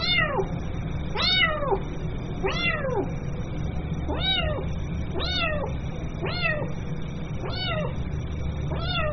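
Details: Young kitten crying for its mother: a series of loud arched meows roughly every one to one and a half seconds, each call sliding up and down, with constant low hum underneath.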